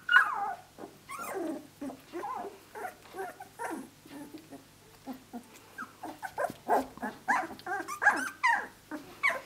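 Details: Australian Shepherd puppies, 17 days of age, playing with each other; short choppy whimpers and squeaky grunts come in quick bursts, building toward several louder higher squeals near the end.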